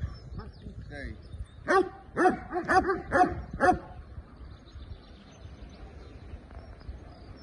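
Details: A Belgian Malinois at the start of executive protection training. A burst of about six loud, deep barks comes roughly every half second, then quieter rustling and faint voices follow.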